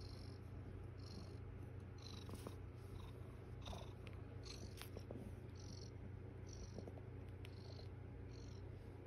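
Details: Foster mother cat with her kittens on the eighth morning, purring steadily. A soft, low, continuous rumble runs throughout, with faint rhythmic higher pulses about twice a second and light background hiss.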